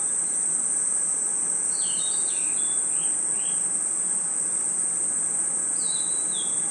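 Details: Night-time forest crickets give an unbroken, shrill, even-pitched trill from start to finish, while a bird adds faint, lower, descending whistled chirps in small clusters near the middle and the end.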